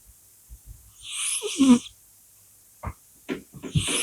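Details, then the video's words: A sleeping cat named Polya snoring. One breathy, hissing snore ends in a short low rattling snort. Scattered soft clicks and taps follow in the quiet room. "Кошка Поля храпит. Cat's snoring."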